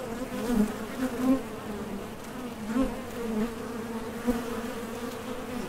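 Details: At the mouth of a Top Bar Hive, honey bees departing for and returning from nectar foraging make a droning buzz that rises in short louder surges as individual bees pass close by.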